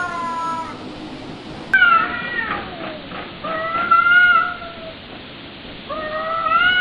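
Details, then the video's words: Kittens calling with several loud, drawn-out meows, some rising and some falling, with short gaps and a sharp click between calls. "Kittens Meowing"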